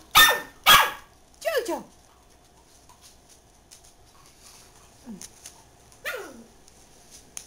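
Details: JoJo, a pet dachshund, lets out two sharp, loud barks in quick succession, then softer falling yelps spaced a few seconds apart, while a person talks nearby.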